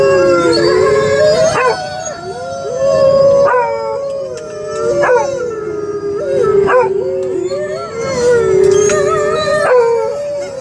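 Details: A beagle in a big truck howls in long, wavering, mid-pitched notes broken by sharp barks, reacting to the dog howls playing underneath on the radio.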